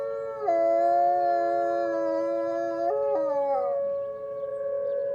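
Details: Wolf howling on a snowy Monday morning, a chattier session than usual: a sustained harmonic howl around 450–700, with a step up near the three-second mark, then a falling, wavering tail and another level note.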